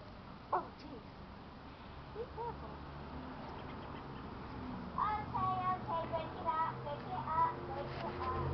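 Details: Keeshond puppies giving thin, high squeaky whimpers and short whines, sparse early on and then bunching into a quick cluster of wavering cries over the last few seconds, above a steady low hum.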